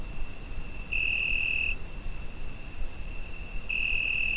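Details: Summer night cricket captured with a Zoom H5, giving a continuous thin high whine that brightens into two strong, sustained pulses, each lasting almost a second and spaced roughly three seconds apart over quiet background hiss.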